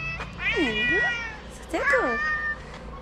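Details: Cat at a small Moroccan shelter for abandoned kittens cries two loud, wavering meows, each swooping down then back up in pitch, about a second apart, over a background hum.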